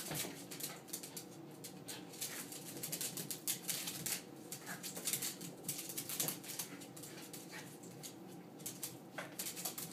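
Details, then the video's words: Two dogs wrestling in a play fight, heard at close range: low, rumbling grumbles and soft vocal noises mixed with constant scuffling, thumps and claw-like clicking throughout. "Dogs play fighting"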